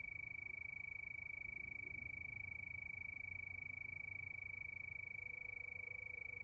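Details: Night-time cricket chorus under the moon, a continuous shrill pulsing trill that holds one pitch throughout, with soft low background hum beneath it.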